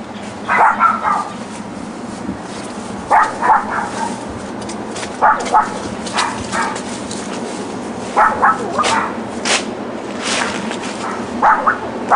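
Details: Back-yard dogs left by their owners all day yap in rapid clusters of three or four barks, separated by two to three second pauses, with some higher clicks and a low background hum.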